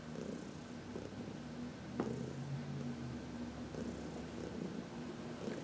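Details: Deep, steady purr from Heidi, an old adopted cat enjoying a massage in the sun in March 2021; rhythmic rumbling pulses and a single short tap partway through.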